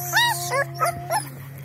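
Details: Female long-coat German Shepherd puppy giving four short, whiny, arched yelps within about a second, over a steady electrical hum.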